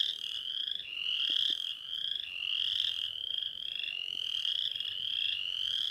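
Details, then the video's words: Chorus of Western chorus frogs: rising, rasping trills roll one into the next, about one every second. Overlapping voices form a nearly continuous creaking wall, with only faint low noise beneath. "Chant de la Rainette faux-grillon"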